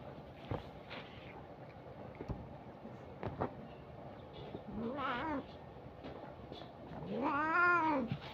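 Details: Domestic cat meowing: two rising-and-falling harmonic meows, the second louder and longer near the end, preceded by scattered clicks and thumps against a steady background hum.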